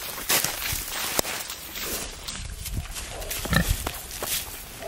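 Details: Wild boar (Sus scrofa) grunt and squeal in short, rough bursts amid rustling and scuffling during a hunt, with dogs chasing boars and boars attacking the dogs.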